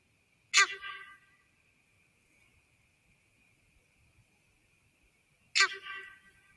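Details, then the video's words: A sambar deer gives two loud, abrupt honks about five seconds apart, an alarm announcing an intruder's presence to the valley, alongside stomping and tail raising. "Sambar deer honking viewed through Pulsar Thermal scope"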